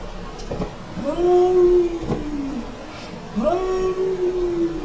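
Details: Cats talking to each other: two clear tonal meows about two seconds apart, each starting with a quick upward sweep and then holding steady before trailing off, over a low background murmur.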